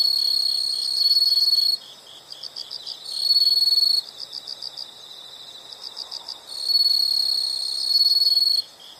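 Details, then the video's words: Calling insects, presented as calming nature sound: bright, piercing trills lasting one to two seconds alternate with stretches of softer, quick rhythmic chirps, the two layers taking turns across the recording. "the sound of insects"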